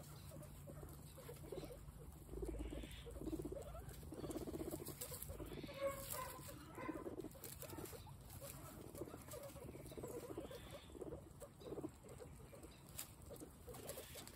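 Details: Guinea pigs at a peaceful snack time, eating: soft, crunchy munching in irregular bursts of rustling bites, with a faint steady low hum underneath.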